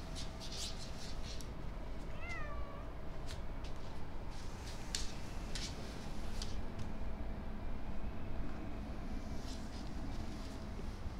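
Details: Matsuri, a pet cat, eating on a windy day, gives a single short rising-then-falling meow about two seconds in, surrounded by steady roaring wind and crackling gusts.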